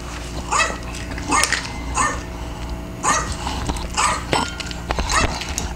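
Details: A Maltese gives sharp, high-pitched yaps, about one a second, over a soft household hum. It has small kidney stones and is fed a low-protein renal diet it dislikes; the owner coaxes it to eat with tricks that include a dog-barking video.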